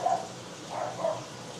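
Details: Jindo dog from a Korean family of Jindo dogs, filmed during a live broadcast: three short, tonal, mid-pitched barks in quick succession within under two seconds, with a person scolding the dog just before.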